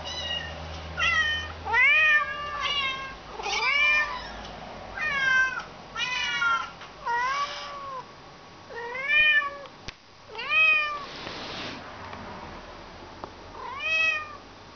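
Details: Tippy, a domestic cat, answers kittens meowing for food on a laptop. Separate arched meows come roughly every second, each rising then dropping. A sharp click and a short hissy burst break in near the middle.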